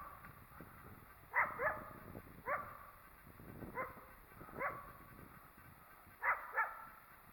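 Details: Wild coyote near a possibly active den area, upset by the person nearby: about seven short, sharp, raspy barks and yelps come singly and in quick pairs, a second or so apart, against a quiet outdoor background.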